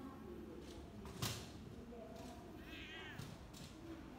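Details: Black-and-white cow-patterned domestic cat turning affectionate when approached, recorded 13 November 2022; one brief, soft, wavering meow late in the clip over low indoor hum, with a single thump and faint clicks.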